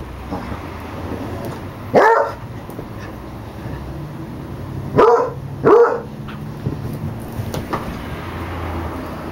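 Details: Tamed female basset hound living among people barks three times: one sharp bark, then a pause of about three seconds before a quick pair of barks less than a second apart. A low background hum persists throughout.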